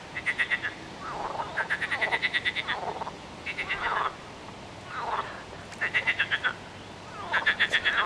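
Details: Chorus of frogs giving rapid pulsed rattles alternating with lower, softer grunting croaks, bursts of about half a second to a second following one another with little pause.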